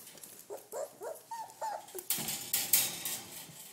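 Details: Red rust Doberman Pinscher puppies at 28 days old, some following their owner; a run of short rising-falling whines and squeaks in quick succession, then a loud rustling clatter.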